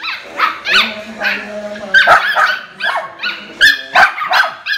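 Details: Jealous miniature schnauzer puppy giving a rapid run of high, yelping barks and whiny yips, uneven in rhythm, roughly three per second, with some harmonics sliding up and down.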